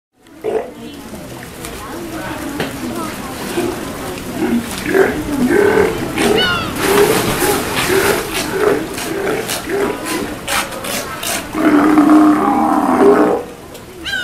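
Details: Steller sea lions at feeding time in an aquarium at Kamogawa Sea World, Japan, on 2 January 2017: harsh, hoarse roaring and bellowing calls in irregular bursts, with people's voices and crowd chatter throughout.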